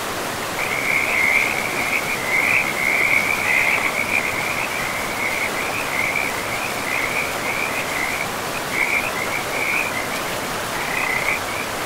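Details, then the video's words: Frogs calling beside a river in a pristine, moss-covered forest: a steady, high pulsing trill runs almost without pause, breaking briefly now and then, over the constant rushing hiss of flowing water. "River and Frogs sleep sounds"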